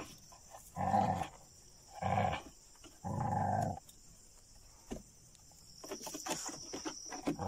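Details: At Chilaw in Sri Lanka, dogs go after jungle cats. Three harsh snarling bursts come roughly a second apart, followed by scattered clicks and knocks, with a steady high hiss behind.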